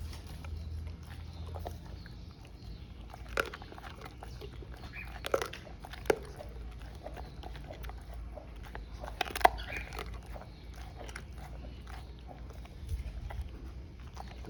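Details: Cane Corso named Zion at feeding time, scattered sharp bites and crunches of chewing every few seconds over a low, steady indoor background hum.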